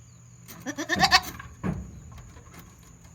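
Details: Kid goat with its head stuck out, farm recording from 22 June 2022: a strange stuttering bleat broken into rapid pulses, followed by a short low grunt and faint knocking.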